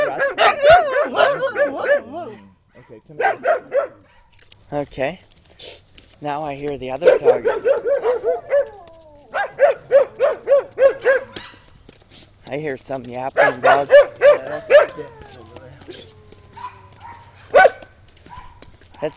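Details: Two pet dogs, brown skinny mutt Rusty and red Husky Peekero, in later 2006; long run of rapid, uneven barking volleys, about three or four per second at peaks, broken by short pauses and mixed with people speaking.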